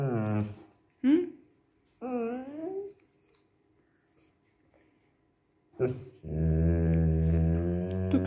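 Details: A hungry female Bernese Mountain Dog puppy grumbles in low, drawn-out, moaning growls like a bear when refused some chicken.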